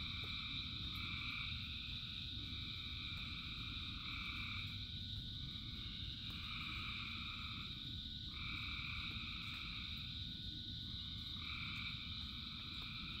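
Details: Rain-soaked frog chorus: a constant bright drone of many callers with rapid, pulsing trills starting and stopping in quick succession at two pitches, all over a broad rumble of falling rain.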